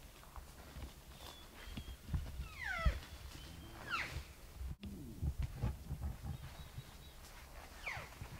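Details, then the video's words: Bull elk heard in the morning during a 2018 archery elk hunt, called in with game calls: a few thin, descending whistled squeals at moderate distance, mixed with low rumbling handling noise and footsteps. "Bull Elk Bugling"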